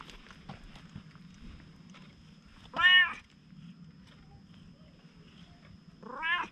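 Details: Friendly stray cat in Japan, at first cautious, then bold and seeking affection, utters a short loud meow followed after a quiet pause by a second rising meow, over a faint low hum.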